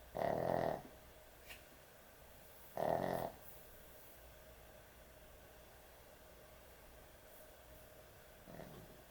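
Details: Snoring dog at bedtime: two strong, rattling snores roughly three seconds apart, a long pause, then a weaker snore near the end, all set against a low steady hum.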